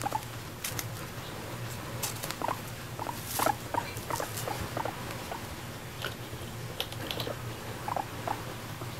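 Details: Pet guinea pig Moru-chan, a female, chatting while eating grass as if inviting her owner to share; bursts of sharp crunchy chewing clicks, louder around the middle, with brief soft squeaks between them in a quiet room.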